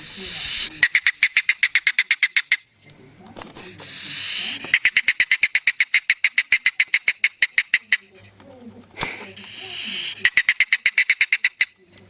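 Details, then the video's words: Polecat in its natural habitat giving bursts of rapid, sharp clicking chatter, about four clicks a second, broken by breathy hissing between the bursts. "Real Polecat Sounds"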